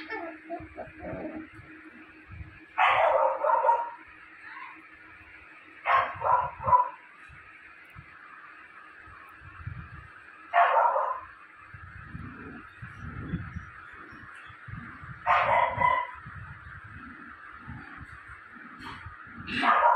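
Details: Pet Japanese Spitz puppy, about five to seven weeks old, letting out sharp single barks roughly every three to four seconds, with soft whimpering between and a steady background hum.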